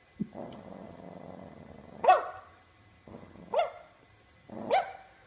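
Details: Domestic dog giving three sharp barks spaced about a second and a half apart, each rising from a low growly onset, with quiet gaps between.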